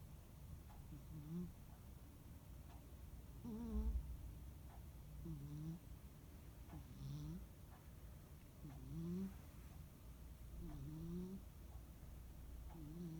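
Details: Munenaru, a rescued cat, snores during a peaceful holiday afternoon nap; low, slightly upswept buzzy snores repeat about every one and a half to two seconds, with one louder dull bump partway through.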